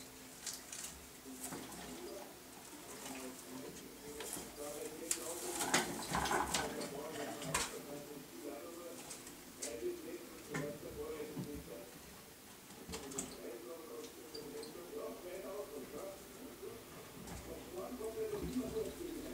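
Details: Several pet male degus around a hemp mat indoors utter soft, low warbles that repeat in loose, quick series, over constant rustling, scraping and sharp clicks from their digging and handling.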